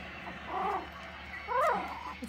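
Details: Four-week-old Pomeranian and Dachshund puppies starting to play, June 2022: two short bursts of squeaky, wavering yips and whines, the second louder and higher, likened to raccoons.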